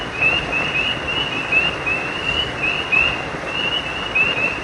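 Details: Creekside frogs at night give sharp, short rising chirps, singly and in pairs spaced irregularly, above a dense, unbroken hiss of stream water.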